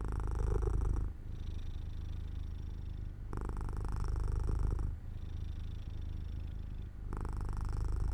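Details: Cat dozing off near an open window in sunlight, purring with a deep rapid rumble that swells and softens in regular cycles, louder bursts alternating with quieter passages about every two seconds.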